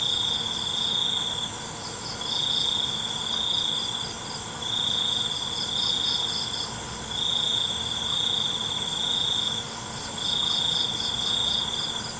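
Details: Crickets singing at night outdoors. Piercing trills of roughly a second or more return about every two seconds, five bursts in total, with rapid beaded chirps glittering higher up and an even background hiss.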